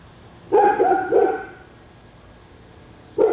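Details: Barking dog on Spruce Street, Royse City, Texas, described as barking for hours a day. A loud double bark, then a pause and another sharp bark, over a quiet, steady background.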